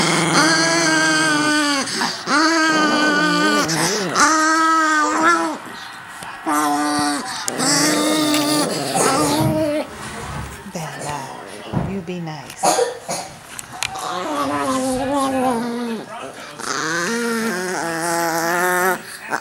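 Chihuahuas let out long, wavering, high-pitched howls and whines that sound almost like crying.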